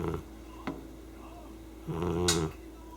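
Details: Sleeping pet cat snoring indoors in a small room: one drawn-out, low, harmonic snore late in the clip, with a couple of faint clicks and quiet room hiss.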